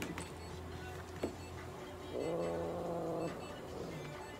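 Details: Russian Blue cat being treated at a veterinary clinic in Nagoya, Japan; a single low, steady, moaning meow lasting about a second, over a constant background hum and a short click.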